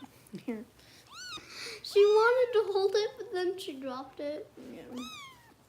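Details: Indoors in Los Angeles, a bottle-fed rescue kitten named Harper lets out a few short, rising-then-falling high meows between stretches of steady human talking.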